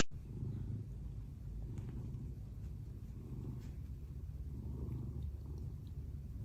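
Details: Domestic cat purring in a funny cat compilation: a soft, steady, low rumbling purr that continues without a break, with a brief click at the very start and little other sound.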